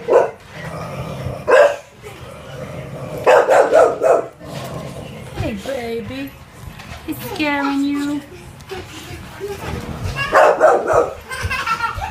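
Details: Female American Bully puppy, offered for sale, gives a few short yips and barks among people talking; harmonic bursts recur irregularly over the stretch, with human voices dominating between them.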